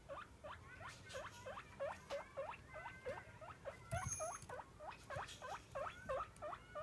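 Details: Domestic guinea pig begging for its daily meal at feeding time, giving steady, rapid rising squeals about three per second, each a sharp upward whistle, with faint rustling underneath.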